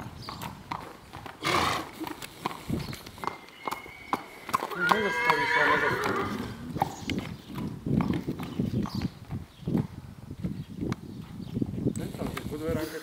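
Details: Akhal-Teke mare Odilia gives a loud whinny in mid-clip. The neigh is harmonic and wavering and lasts about two seconds. Steady clip-clop of hooves and human speech run throughout.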